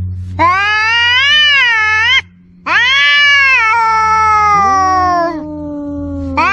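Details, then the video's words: Cat yowling, offered as an angry tomcat and a kitten calling for its mother; two long rich harmonic cries with rising-then-falling pitch, a brief silent gap between, then a lower falling tail and a fresh cry at the end. "Suara Kucing meong kucing jantan galak anak kucing panggil induk aneka suara kucing meong meong"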